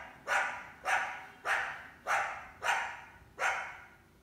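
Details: Coyote barking in summer while trying to hunt an indoor house cat, at least one big pup with her; five sharp, harsh barks about every 0.6 seconds, each bark decaying quickly.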